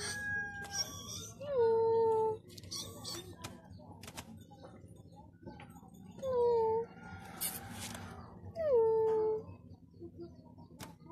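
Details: Scared kitten giving three drawn-out meows, each sliding downward then holding a thin tone, spaced about three to four seconds apart, with soft rustling and low background hum between calls.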